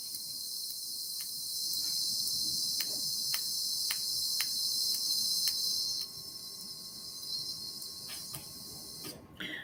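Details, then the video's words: Northern bottlenose whale echolocation clicks off Nova Scotia, made while diving and hunting deep-water squid: sharp, snapping ticks at uneven intervals over a steady high hiss, higher pitched than sperm whale clicks. "that snapping sound that you heard that was a northern Bottlenose whale hunting for its food"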